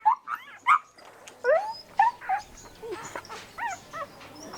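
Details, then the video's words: Puppy giving short high whimpers and yips, rising and falling squeaks in irregular bursts separated by brief pauses, with faint softer whines in between. "familiar cut dog, puppy sound effect"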